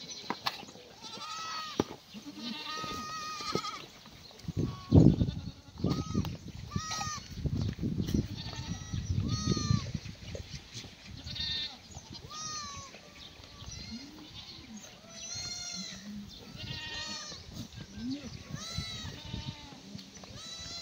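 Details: Black goats at morning feeding on a free-range, antibiotic-free farm below Mucheoksan in Gimhae, South Korea; repeated bleats from several animals overlap with loud thumps and rustling of feed being handled.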